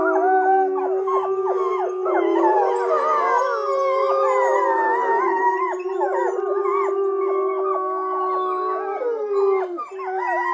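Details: Arctic wolves (Canis lupus arctos) howl together, long sliding wails overlapping into a chorus of several voices.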